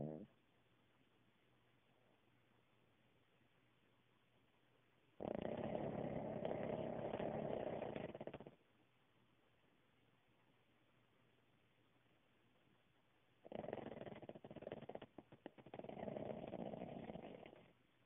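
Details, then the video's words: Cooper the Cavalier King Charles Spaniel snoring through his usual nap: two long rough, raspy breaths roughly three seconds each, separated by a quiet pause, the second one fluttering and broken up. "Cavalier King Charles Snores"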